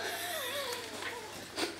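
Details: Kitten named Tiger that will not share its food, a homemade cat food of rice and fish, gives a drawn-out wavering mewing cry that slides up and down, with a brief sharper note near the end.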